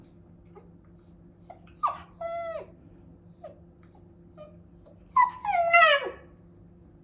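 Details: Missing her sister, a Shiba Inu whimpers indoors: short high squeaks and thin whines scattered through the moment, then a louder drawn-out wavering cry that falls in pitch near the end, over a low steady hum.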